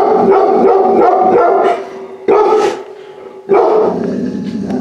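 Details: Large-breed puppy saved from a high-kill shelter, inside a home for its first time, barks in a loud run of yips, goes briefly quieter, then gives another sharp burst over a constant tonal background.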